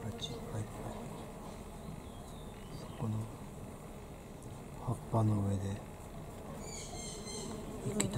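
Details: Crowds of honey bees at flowering knotweed outside a Thai home give a dense, low buzzing hum, broken by several loud close fly-bys lasting under a second each, with a little speech nearby.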